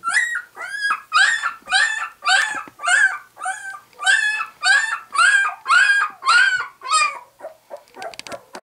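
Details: Two-week-old White English Cream Golden Retriever puppies, just opening their eyes, cry in a steady series of high, harmonic whimpers, about two each second with a slight rise and fall, trailing off into soft rustling near the end.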